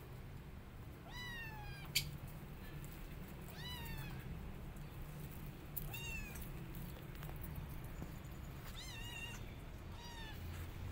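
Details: Five kittens pester their mother cat to feed them while she grows upset; high, thin, arching mews ring out in short bursts roughly every two to three seconds, some doubled, over a steady low rumble of background noise.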